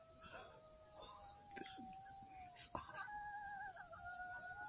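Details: Several coyotes in Southwest Wisconsin give long, drawn-out howls that hold steady, then step up in pitch, responding to an initial electronic call; recorded alongside thermal imaging.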